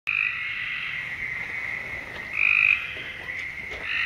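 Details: Frogs calling at night in a continuous chorus of buzzy, trilling notes, with a louder, brighter trill breaking through around two and a half seconds and further shorter calls near the end.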